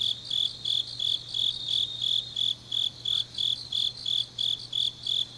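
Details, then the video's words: Autumn grass insects chirping in the deep night of Changnyeong, South Gyeongsang Province: shrill, evenly spaced pulses about three a second, steady throughout, over a quiet low hum. "깊은밤 가을 풀벌레 소리"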